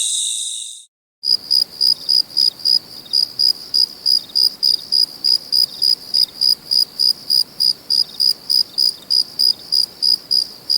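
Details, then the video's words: Cricket chorus at night: after a brief opening burst and a short silence, high, pure chirps pulse steadily about three times per second with a faint overtone above, over a quiet background. "Sounds of Cricket | Relaxing Sounds of Crickets"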